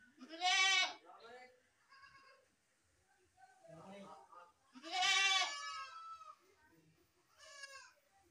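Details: Goat calling with two long, wavering bleats near the start and middle, a shorter bleat toward the end, and soft low mutterings between the calls.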